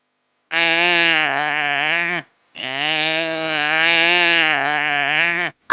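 An antelope gives two long, drawn-out, bleating moans, a short one then a longer one, low and nasal with a slight waver.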